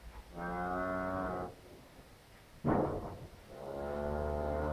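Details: Lowing of a heifer during a difficult calving on a farm in Poland: two long, deep moos, each over a second, separated by a short burst of rustling or straw noise.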